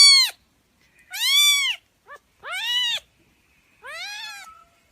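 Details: Meowing kitten, meant to draw kittens' attention: a clipped mew, a longer arched call, a tiny chirp, then two more drawn-out mews, the last fainter and trailing off.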